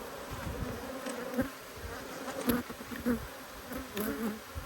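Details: Honey bees from two hives cross at being inspected: a steady, low droning hum with a fainter higher overtone. Sharper buzzes flare as individual bees pass close. No voices intrude.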